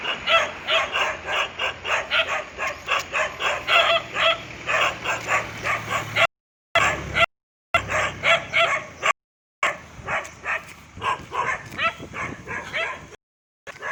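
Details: Dog barking in Thailand, recorded on 2 December 2020: rapid, sharp barks in a steady stream about three per second, briefly cut by a few short silent gaps, over a low background hum.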